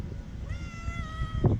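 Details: Stray female tabby cat living in a park in Istanbul meows for food and affection on a windy, cold day: one level, harmonic meow of about a second over heavy low wind rumble, with a woman talking to her in Turkish.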